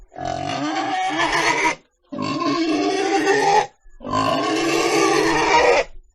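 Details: Pig screaming in three sustained, harsh squeals of roughly one and a half seconds each, evenly spaced by brief quiet gaps.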